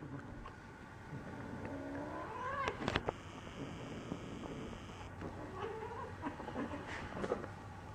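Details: Two barn cats play fighting roughly, one a Siamese named Neo, the other friend Ruby; a drawn-out rising, wavering yowl with harmonic overtones swells then breaks off, followed later by softer moaning growls and scuffling.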